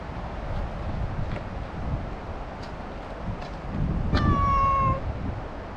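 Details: Talkative stray cat lets out one long, steady meow lasting nearly a second after a few faint clicks, with rustling and low background rumble.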